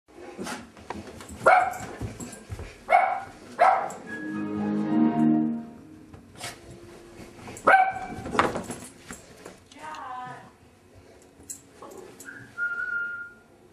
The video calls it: Crazy dog barking